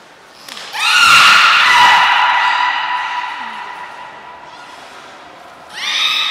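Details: Beluga held at Port of Nagoya Public Aquarium, recorded 3 November 2023 during feeding and later play: a loud, long harmonic squeal that swells, then slowly fades over several seconds, and a second rising squeal near the end.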